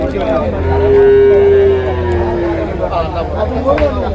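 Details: Cattle, buffalo calves and cows, at Manjeri market: one drawn-out, level, low moo lasting about a second, over constant chatter of men talking and market bustle.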